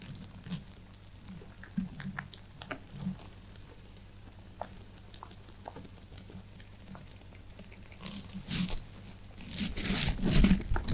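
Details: Pet rabbits chewing hay indoors: soft irregular crunching bites scattered through the first seconds, growing into a louder, dense burst of crunching and rustling near the end.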